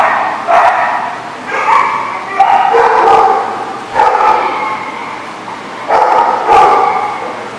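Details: Dog barks recorded 9/8/14: about six loud, rough single barks spaced roughly one to two seconds apart, separated by quieter stretches of background noise.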